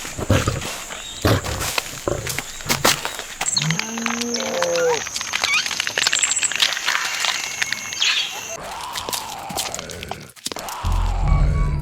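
A golden retriever puppy gives a low, wavering whine, then short rising-and-falling yelps.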